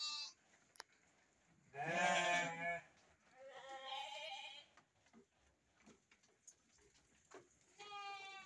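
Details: Farmed sheep kept for breeding in Indonesia: one loud trembling bleat, then a softer wavering bleat and a thin high call at the end, separated by quiet rustling.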